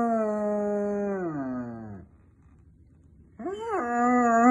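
A German Shepherd howls a long, steady, rich-toned note that slides downward, then rises into another.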